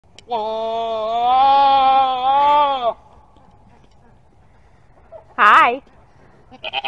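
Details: Goat giving a long, wavering, nasal bleat lasting over two seconds, then a short quivering second bleat after a quiet pause, with a few faint clicks at the end.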